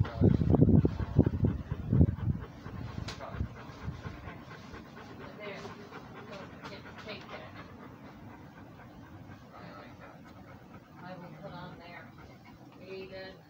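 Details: Rhodesian Ridgeback walking and breathing: loud, rhythmic low panting bursts about four per second for the first two seconds, fading to softer breathing, with a human voice audible near the end.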